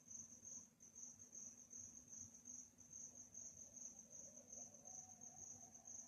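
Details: Night-time cricket chirping in a peaceful setting. Shrill, evenly pulsed high notes run continuously at about two to three beats per second, backed by a quiet low rumble.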